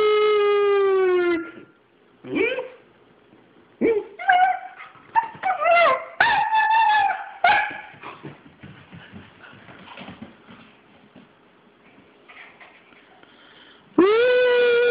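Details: Three-month-old German Shepherd puppy indoors, confused and agitated as its owner howls at it. A long human howl opens, then the puppy gives bursts of high, sweeping yips and whiny barks. A quiet stretch follows, and another human howl ends it.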